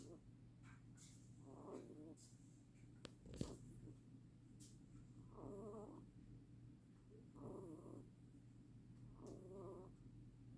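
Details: Rabbit snoring indoors: soft, breathy, rasping bursts recur about every two seconds over a steady low hum, with a sharp click near the start.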